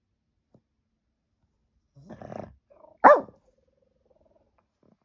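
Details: A pet dog barking at nothing, recorded on an iPhone in April 2023: one short, sharp bark after a brief low rustle, with near silence otherwise.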